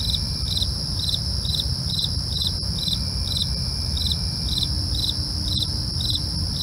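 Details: Crickets at night with a regular pulse of short chirps, about two each second, over a persistent high ringing tone, a couple of sharp clicks, and low hum.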